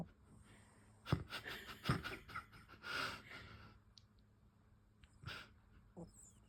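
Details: Makyu, a pet cat in a deep sleep, snoring indoors: raspy, breathy wheezing bursts around one, two and three seconds, then quieter pauses and another rough exhale near five seconds, in a small quiet room.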